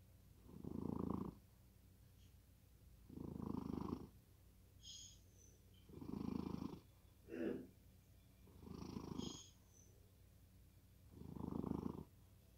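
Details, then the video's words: Sleeping cat snores deeply: five steady, grumbling low breaths spaced about two and a half seconds apart, and one shorter, softer snort in between. "고양이 코골이? 깊은 잠에 빠져든다."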